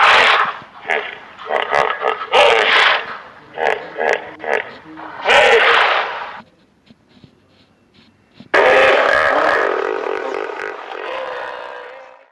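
A hippopotamus gives a series of rough, pulsed honking grunts, then one long, drawn-out call that slowly fades.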